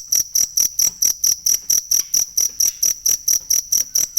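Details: A cricket, recorded for songbird training, makes bright, high chirps about four times a second in a fast, regular series of around eighteen pulses.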